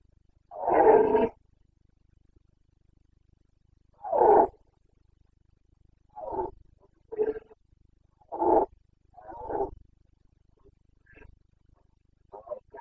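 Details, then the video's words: Wild Carpathian stag roaring in the Bucovina mountains during the September rut of 2022. A long hoarse bellow opens, followed by a string of shorter gruff roars at irregular intervals, some fading into the distance, with no other sounds. "Boncănit / Carpathian stag Breeding season 29.09.2022"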